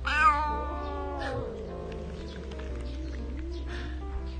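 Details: A timid female domestic cat with a heart-shaped whisker marking gives a clear, high meow that rises and then falls, with soft music behind.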